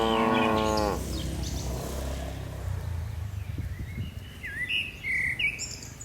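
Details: A tame cow from a herd descending a mountain slope lets out one brief moo at the start. Low rumbling noise and scattered bird chirps follow.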